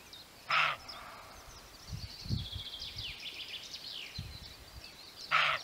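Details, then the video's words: A roebuck gives two loud, gruff single barks about five seconds apart, with a chorus of small birds singing in between. "Szczekający Koziołek"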